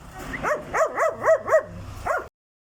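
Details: Dog with a strange ghost-like voice, giving a series of short wavering yelping cries with a rising-falling wail shape, about five in quick succession, then a final one after a pause.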